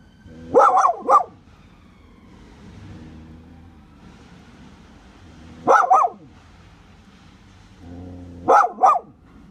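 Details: Leyla the dog, upset at finding a yellow courgette growing in her back garden, gives sharp paired barks in three bursts, near the start, midway and toward the end, with quiet gaps and faint wailing tones between.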